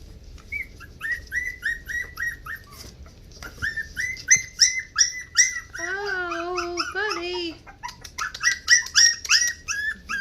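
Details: Havanese puppies on 20 January 2020 give rapid high yips and whines, several a second, broken by a lower wavering whimper in the middle before the quick yelping resumes.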